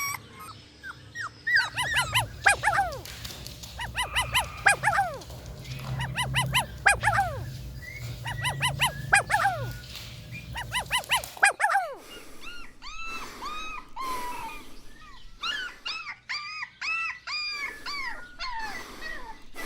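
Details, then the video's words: Playful puppies tussle over toys on grass, yapping and yelping rapidly in overlapping bursts over a low background rumble. Later the calls turn into thinner, arching squeaky whines, closely spaced and uneven. "Puppies Competing for Toys on Green Grass - Funny Dog Sounds"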